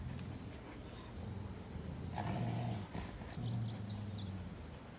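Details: Belgian Malinois puppy at play with a Rottweiler, giving low, steady rumbling growls that swell around the middle and again toward the end, over soft scuffling and background hiss.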